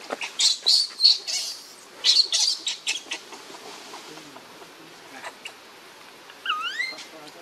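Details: Baby monkey crying to beg its mother for milk: bursts of shrill, high squeals in uneven runs, followed near the end by a few harmonic rising wails, separated by short quiet gaps.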